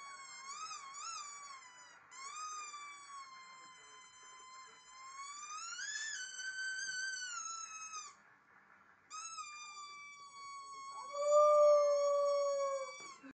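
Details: A Jack Russell Terrier puppy, howling at a squeaky noise, gives long, high, wavering howls that swell upward and then sag; finding: Jack Russell Terrier.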